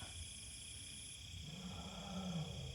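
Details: A wild Asian elephant mother at Khao Yai gives deep, low rumbling calls, searching for her small calf, which had been found separated from her about an hour earlier and was being looked after by officials.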